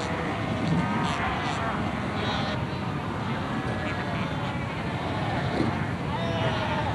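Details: Cape fur seals at Cape Cross Seal Reserve on Namibia's Skeleton Coast, 1992, a colony fighting, sunbathing and rearing pups: a dense, continuous din of overlapping bleating and moaning calls, with a man's voice speaking over it.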